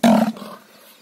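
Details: Kangayam bull of the Mayilai type at Pollachi gives one short, loud, harmonic bellow lasting about a quarter second, dropping off abruptly and leaving quiet outdoor background.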